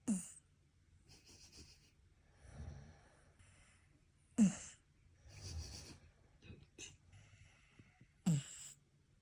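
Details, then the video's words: Shiba Inu asleep, snoring in a rhythm its owner likens to beatbox; sharp snorting bursts recur about every four seconds, separated by softer rasping breaths and quiet gaps. "這種美妙的打呼聲堪比Beat box"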